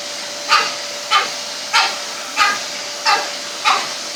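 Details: Two dogs, a Pug and a French Bulldog, going mad at a running hoover; six evenly spaced sharp barks, roughly one every two-thirds of a second, over a constant vacuum cleaner drone.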